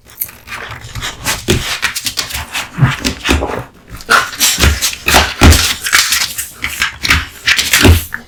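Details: Kotetsu, a male American Bully born in August 2016, devours a heaped lunch of raw meat and bones indoors; dense wet crunching and gnawing bursts come in quick irregular succession, with low thuds of the jaw working.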